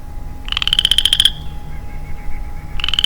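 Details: Male Western Chorus Frog, alone in early-spring woods, produces a clear rasping trill of about a dozen fast pulses rising slightly in pitch, then a short pause before the next trill begins.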